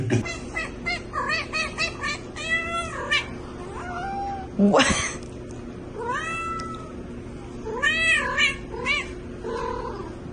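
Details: Cat giving a rapid run of short meows, then longer drawn-out, wavering meows in bursts. A sharp noise cuts in near the middle over a steady low hum.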